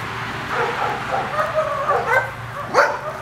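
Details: Playing Welsh Terrier pups make rapid squeaky yelps and whiny, wavering cries, ending in a sharp rising yip, with a faint low hum underneath.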